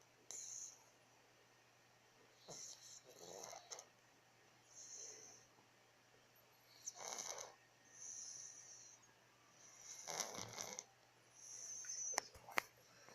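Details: Domestic cat in deep sleep, snoring in a series of short, soft, breathy rasps at uneven intervals of one to two seconds, with faint clicks between breaths in an otherwise quiet room.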